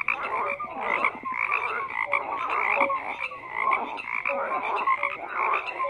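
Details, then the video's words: A frog chorus of many callers, croaks overlapping in dense waves that swell and ease about every second, with brief tonal notes threaded through. "FROGS CROAKING"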